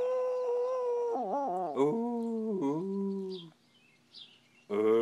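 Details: Dog named Yib howling in long, steady, tonal notes that dip and warble midway, then trail off into quiet before another loud tonal cry starts.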